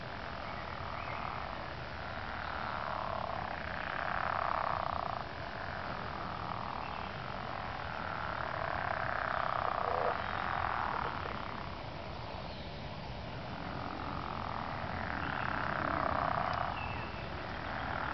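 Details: Frogs calling together in early spring, likened to Tuvan throat singing: a dense, continuous croaking chorus that swells and fades in waves every few seconds, with a steady low rumble underneath.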